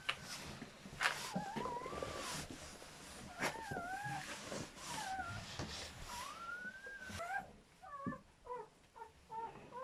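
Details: Newborn German Shepherd puppies during their mother's labour with a litter of seven: thin, high squeaks and whines, some rising then falling, repeating closely over roughly seven seconds, then quicker short chirps toward the end, over soft background rustling.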